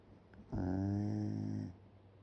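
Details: Shiba Inu fast asleep with its mouth open, snoring: one drawn-out, droning snore lasting a little over a second, low and steady with a buzzy, layered tone, set against a quiet background.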